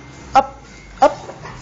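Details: Lennon, a family's black Labrador Retriever kept as a pet, gives two short sharp barks about two-thirds of a second apart indoors, with faint background hum and a softer sound trailing afterward.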